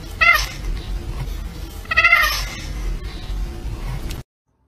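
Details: Pet cat giving two short harmonic meows about two seconds apart over a background of household noise.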